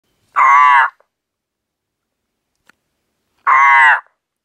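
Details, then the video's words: Ornate horned frog calling, as it does every night in spring; two loud, harsh, crow-like croaks, each about half a second long, separated by roughly three seconds of silence. "ベルツノガエルの鳴き声 The cry of a ornate horned frog"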